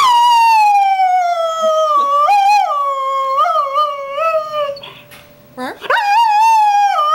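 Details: Singing greyhound: a sustained howl sliding down, broken by repeated wobbling rises, a quiet gap, then a sharp upward swoop into another strong howl.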